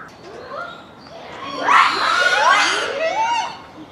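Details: Japanese macaque troop calling at dusk before closing time at Hamura Zoo, Japan, December 2020; clear rising and falling coo calls swell into a dense chorus of overlapping screams, then tonal coos fade out.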